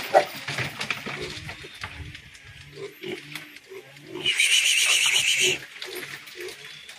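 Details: Batch of fattening pigs at Granja Boa Esperança, Jenipapo, Campina Grande, Paraíba; one shrill, high, rasping squeal lasting about a second mid-recording, amid low grunts, scuffling and a man speaking Portuguese.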